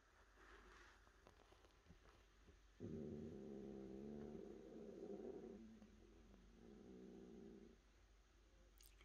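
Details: Cat in a small room giving a sustained, low, buzzy growl with rich harmonics, swelling and fading in long waves with a brief purr-like pulsing between surges.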